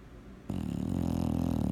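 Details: A sleeping bulldog gives one sudden, loud, low rattling snore that starts abruptly and holds steady for over a second in a small room.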